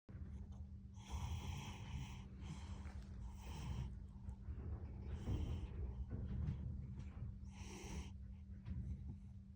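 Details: Cat snoring loudly during an afternoon nap: rough, breathy snorts come in uneven bursts every one to two seconds over a low steady hum indoors.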